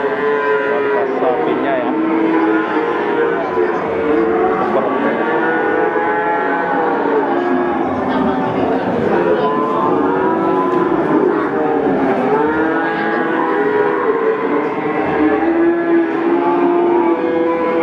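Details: Peranakan Ongole young bulls, known as Javanese cattle, at the Pasar Pon livestock market in Ambarawa, Central Java, Indonesia. Continuous overlapping moos rise and fall with no break, forming a dense chorus against a busy market background.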